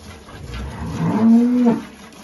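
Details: Holstein cow with calf at milking in rural El Salvador; a short, low, nasal moo of under a second, slightly rising, heard over farmyard background noise.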